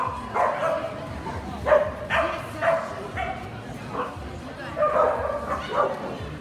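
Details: Kerry blue terrier specialty show, 29.04.18: a run of repeated short barks, some clipped and doubled, about one every half second to second, set against constant background talk from people in the hall.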